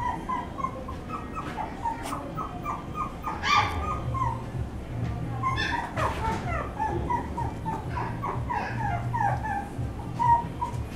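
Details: Whimpering dog giving a steady series of short, high, falling whines and yips, repeated several times a second, with a few louder bursts and a constant low droning hum behind.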